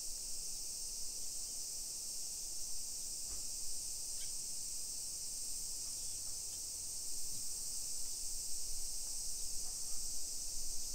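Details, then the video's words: A steady summer cicada chorus fills a hillside suburb of Nisshin, Aichi, Japan, at 1 PM on 28 July 2021: a constant high, sizzling buzz, with a few faint brief chirps and low background rumble from the street walk. "Summer Cicadas Sounds"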